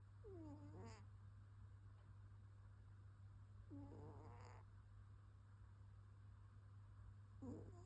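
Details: Domestic cat snoring while asleep: soft, squeaky, wavering whistle-like breaths about every three and a half seconds over a steady low hum.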